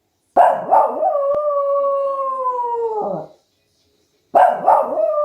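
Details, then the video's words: West Highland White Terrier starting with a couple of quick barks that stretch into a long, steady, clear howl lasting about two seconds and falling at the end, then more barking. "OUÇA O SOM DO CACHORRO TERRIER BRANCO DE MONTANHAS OCIDENTAIS"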